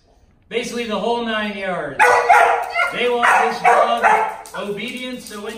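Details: Luna, a five-month-old German Shepherd at a dog trainer in Columbus, Georgia, gives a drawn-out whining cry that slides downward, then a string of harsh, rapid yelping barks in uneven bursts over about four seconds.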